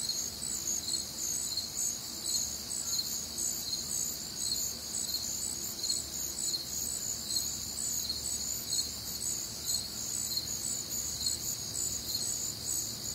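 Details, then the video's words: Crickets and other nocturnal insects on a warm, humid Midwestern summer night: a dense, steady high-pitched chorus of overlapping trills and pulsed chirps, several layered bands, continuous throughout with no other clear sounds. "Night Time Cricket Sounds"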